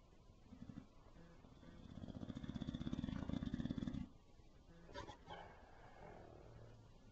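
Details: Bulldog snoring with a known snoring problem: a low, rattling snore that builds over about two seconds into rapid fluttering pulses, stops abruptly, then gives way to softer breathing and a faint rustle.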